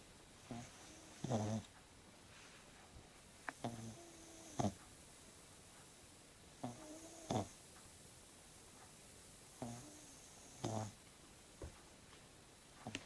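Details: A sleeping French Bulldog's first snores: soft, low snorting breaths recurring roughly every three seconds against a quiet background hiss.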